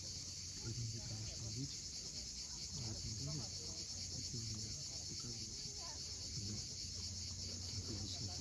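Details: Cicadas calling at sunset on the steep coast of Cape Fiolent, Crimea, a steady high shrill drone running unbroken throughout, over a low rumble of waves and scattered soft lower sounds.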